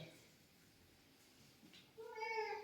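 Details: Pet cat giving one short, clear, tonal meow at the end, after a soft human voice and quiet room noise.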